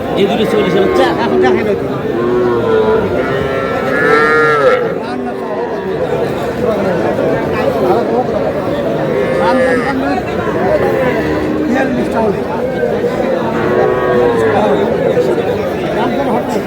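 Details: Cattle, small bull and heifer calves, at a cattle market in Madaripur, Bangladesh, on 25 July; drawn-out lowing moos rise and fall repeatedly through constant crowd chatter and bargaining voices.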